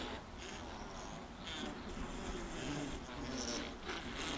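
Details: Dense hum of many honey bees inside a full honey super, a low continuous drone with shifting overtones that swells gently toward the end.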